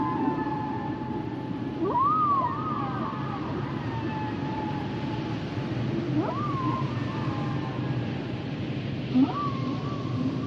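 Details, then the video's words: Humpback whale song: long rising whoops sweeping up to a sustained tonal note near one kilohertz, repeated about every four seconds, with fainter harmonic moans above over a steady low underwater rumble. "Sounds and Songs Of The Humpback Whales"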